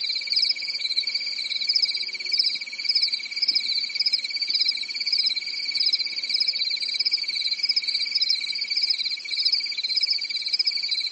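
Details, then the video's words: Chorus of crickets on a quiet European summer night, an unbroken shrill buzzing trill holding steady throughout, with a faint low hum in the background. "Grillen zirpen in der Nacht"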